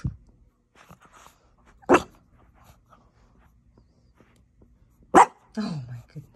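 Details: Blue French Bulldog puppy indoors in a small room; a few sharp, short yaps and a brief grumbling bark spaced irregularly over several seconds, with quiet pauses between.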